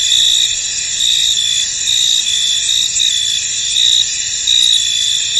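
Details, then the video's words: Crickets chirping in a foggy field, a bright sustained high-pitched drone with louder chirp pulses rising above it about once a second, unbroken and without other sounds. "Tranquil Cricket Sounds In An Misty Field"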